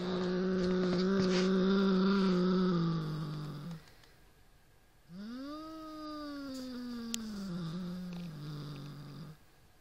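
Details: A Siamese cat 'roars' at a toy rat, a low, drawn-out growl that swells into a rising then slowly falling moan.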